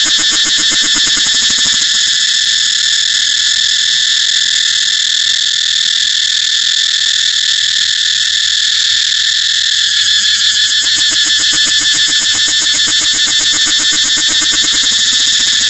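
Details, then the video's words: A cicada drones on in a long, shrill, continuous buzz with a rapid underlying throb, staying loud and unbroken across the whole recording. "cicada เสียงจั๊กจั่น"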